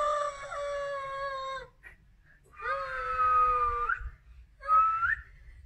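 A Siamese cat gives long, loud, drawn-out meows, the last one short and rising.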